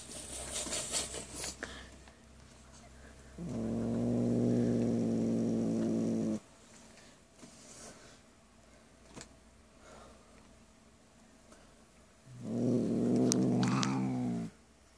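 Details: Buddy, a domestic cat, growls while eating cat food and guarding it when petted. Two sustained, droning, harmonic growls, one about three seconds and one about two seconds, with soft chewing and rustling between them.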